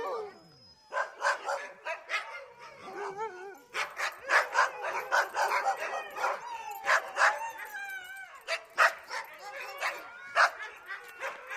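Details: Dog expressing its feelings through barking: dense, irregular volleys of short, sharp barks with wavering whimpers and squeaky yips woven between them over about eleven seconds.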